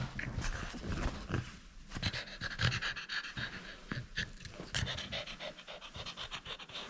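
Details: Playful French Bulldog holding on to its toy: heavy, irregular panting broken by snorting bursts and throaty huffs, with rustling and scraping.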